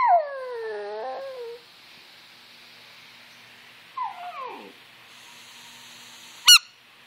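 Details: Pet Yorkshire Terrier Brooke answers squeakers and whistles with a falling, wavering howl, then a brief sliding whine, followed by a single sharp squeaker note.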